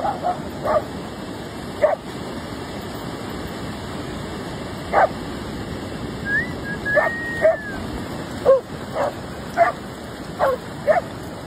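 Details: German Shepherd dog giving short, sharp barks, single or in quick pairs, spaced irregularly every second or two over a steady background hiss, with one brief higher whine in the middle.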